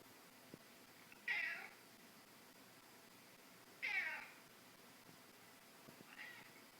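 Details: Indoors, Scottish Fold kitten Tim Purrtons watches another cat on a screen; three short cat meows, bright and slightly falling, come about every two and a half seconds, the last one softer, over a quiet room hum.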